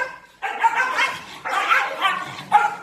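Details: Dog that the owner says is hungry, giving three drawn-out, whiny, tonal cries with a strained, yelping edge, each lasting about a second with short gaps between, over a quiet indoor background.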